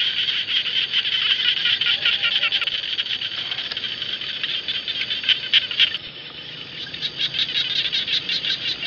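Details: Jana frogs calling in rice fields. A dense, high, rasping chorus briefly thins after the midpoint, then quick separate pulsed bursts return at an irregular, rapid pace.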